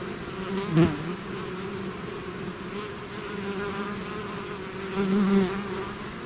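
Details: Swarming bees leaving their hive produce a constant low hum, with two louder buzzes as single bees fly near the microphone, one early and one near the end.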